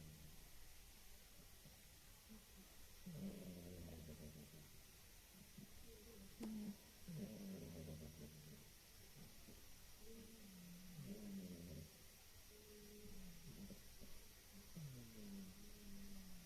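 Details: A sleeping female pet cat snoring, described as sounding like an uncle: soft, low rasping snores in repeated breaths about every two seconds, faint and close under a steady background hiss.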